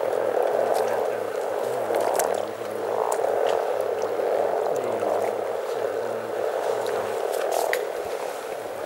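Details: Over 300 frogs in spring at Teisko, Pirkanmaa, Finland, forming a dense unbroken chorus of low bubbling croaks that swells and fades in waves about every second, with a few faint clicks on top.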